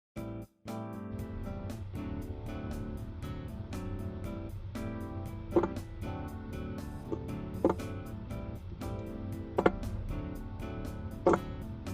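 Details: Gentle instrumental background music with plucked notes and occasional soft knocks; no animal voices are heard.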